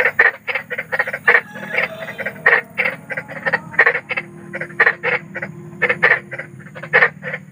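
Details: Large frog calling outdoors at night, giving rapid pulsed croaks about twice a second, some croaks doubled, over a soft low background drone.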